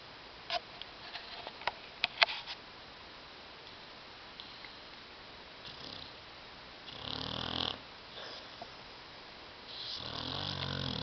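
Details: Sleeping dog Tyson snores on a love seat inside a home; a few sharp clicks and sniffs open the recording, then two long, raspy snore bursts follow, each about a second in length.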